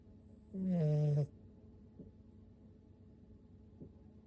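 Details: Toy poodle puppy Oru-kun, six months old, snores in his sleep like an old man: one strong, buzzing, steady snore of about three-quarters of a second, followed by silence broken by two faint ticks.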